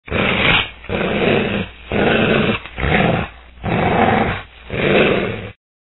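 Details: Gray wolf (Canis lupus), growl.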